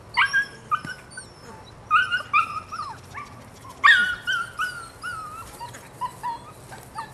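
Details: Nine-week-old female puppy (Rodin/Katana) letting out drawn-out, wavering whines that slide downward, mixed with sharp yelps, spaced about a second apart over low room hum.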